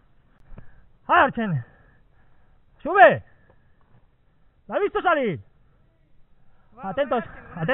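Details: A 17-month-old Gascon Saintongeois hound trailing wild boar gives four drawn-out, ringing bays, each about half a second long and spaced roughly two seconds apart, with quiet rural background between them.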